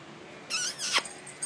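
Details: A new puppy attacking Teddy, an older dog, indoors; a short high whining whimper about half a second long, strained and rising then falling, with a person calling Teddy's name around it.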